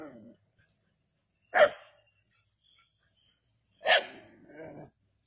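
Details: Keezhadi country dogs on a snake hunt give two loud single barks about two seconds apart, each trailing into a softer growl, against a continuous high-pitched insect hum.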